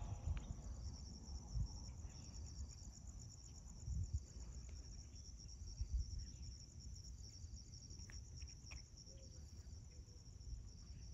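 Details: Crickets chirping at sunrise outside a home in Magma Ranch, Florence, Arizona, in August 2021. A steady, high, finely pulsed trill runs unbroken throughout, over a low rumble with a few faint, brief bird notes.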